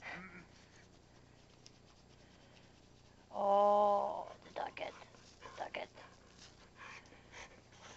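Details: Missy, a pet dog, gives one drawn-out, steady-pitched bark lasting under a second, clear and tonal, followed by quieter shuffling noises and faint human voices.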